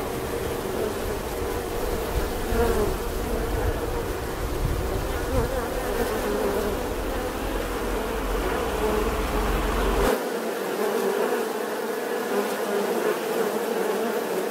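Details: Bees buzzing in a steady, dense drone with a strong hum band and harmonics stacked above it; a low rumble sits underneath for the first ten seconds, then drops away, leaving only the even buzzing.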